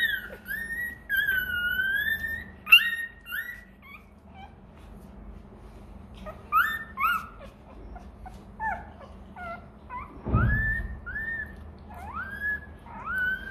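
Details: Hungry Rottweiler puppy crying for milk: a run of high whistled whines, some long and gently falling, others short upward-sweeping yelps, repeated irregularly with brief pauses, plus one dull thump.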